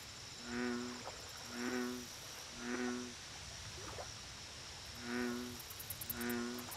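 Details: American bullfrog on a lake, repeating a low, resonant, hum-like call about once a second, five calls in all with a brief gap midway, and faint insect chirps high above.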